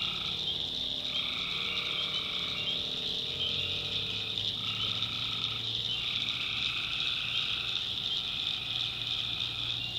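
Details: Nighttime tree frog chorus recorded in North Carolina swamp backwoods: a steady shrill wall of trilling over which longer buzzy notes at two pitches start and stop every couple of seconds, with a soft low rumble below.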